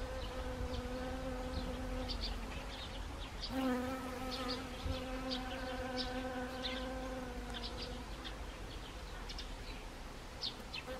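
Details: In Gangwon Province on 1 October 2020, honeybees work autumn Siberian chrysanthemum blooms. A buzzing drone swells in near the start and holds for several seconds before fading, with faint high chirps scattered behind.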